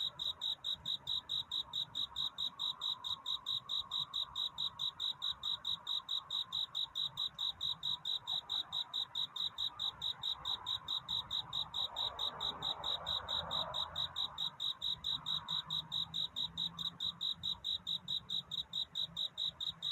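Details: Singing crickets in a night courtship chorus, crisp high chirps repeating steadily and evenly, with a soft swelling whoosh of background noise near the middle.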